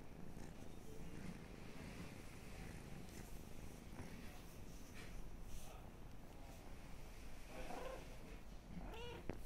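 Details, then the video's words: Pet kitty purring as it sleeps: continuous low rumbling purr across the whole stretch, with occasional faint rustles and small higher squeaks near the end. "My pet kitty sleeping"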